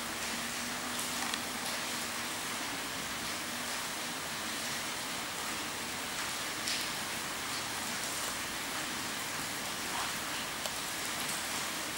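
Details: Steady broadband hiss like rain or rushing noise fills the whole stretch, with no clear animal calls standing out.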